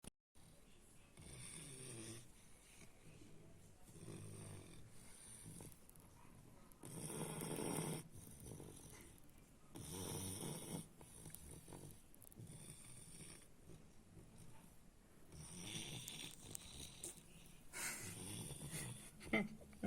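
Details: French Bulldog named Baks snoring: soft, rough, breathy snores rising and falling in irregular bursts, louder swells around the middle and near the end, over a faint steady background hush.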